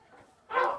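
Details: Munchkin kitten, 18 days old, indoors: after a near-silent start, one short, bright, tonal mew rises in the final third and fades quickly at the end.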